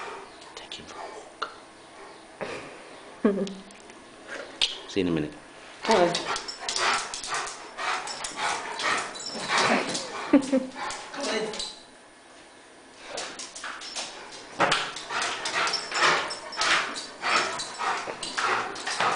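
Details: Elderly Rhodesian Ridgeback male getting worked up over his daily walk, indoors: bursts of sharp barks and yips cluster mid-recording, with a person urging him to come on and go for a walk, plus music.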